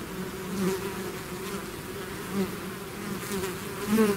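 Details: A swarm of bees out of its hive, buzzing steadily with a low droning hum and a higher overtone. Faint swells in loudness come and go as individual bees pass closer.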